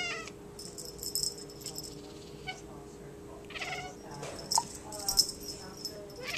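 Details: A Maine Coon cat at an animal shelter gives brief chirping calls, some in quick clusters, while watching a feather toy, over light rustling and rattling sounds.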